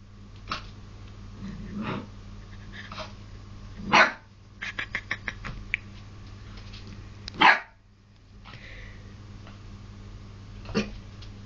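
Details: English Springer Spaniel puppy indoors barking at his own reflection in a mirror; two sharp loud barks about three and a half seconds apart among softer yips and huffs, with a woman's voice asking who the dog in the mirror is.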